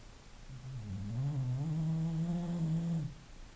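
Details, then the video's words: A sleeping English Bulldog snores once: a low, droning, harmonic rasp that swells in and holds for about two and a half seconds before stopping, in a quiet indoor setting. "a snoring bulldog"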